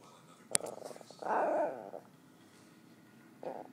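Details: Indoor pet dog growling at dogs on TV after being told not to bark: a click, then a low rough growl of under a second, and a shorter growl after a pause, over faint background noise.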